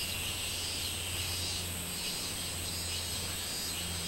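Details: Minmin cicada song from 24 July 2016: a shrill, even buzz with gentle pulsing surges, backed by a steady low mechanical hum.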